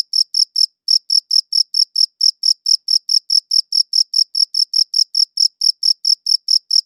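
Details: Cricket chirping captured with a good audio recorder: rapid high pulses in a steady train, one slightly longer gap early on, otherwise unbroken and free of other sounds.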